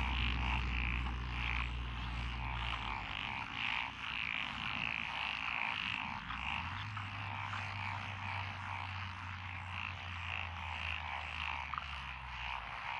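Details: Chorus of frogs in rural lotus rice paddies, Echizen, Fukui, Japan, recorded 12 June 2021: many overlapping rasping croaks repeated several times a second, with a deep mechanical hum rising and fading below.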